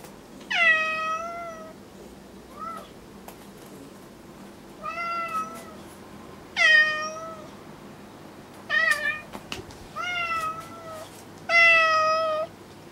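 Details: House cat Kuri comes to her owner half-crying, upset by Kinako's unblinking stare while cats Ameta and Hanu watch; a run of long, bright harmonic meows alternates with shorter chirpy ones, roughly every two seconds, plus small thumps.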